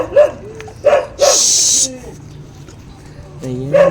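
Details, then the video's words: Zoey's hungry puppies cry in a series of high, tonal whines and wavering squeals, some sliding downward, with a burst of hissing noise in the middle and faint room hum. "Umiiyak na ang mga puppies mo, Zoey, gutom na sila"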